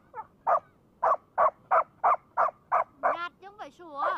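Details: A Labrador with a brick gives a run of sharp, evenly spaced barks, about three per second, then ends in higher, wavering whine-like squeals.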